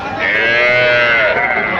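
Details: Cattle at Raniganj haat, a livestock market selling bulls, heifers and calves: one long, drawn-out, loud moo lasting nearly two seconds, steady and slightly arching in pitch, rich in bright harmonics, with faint market background.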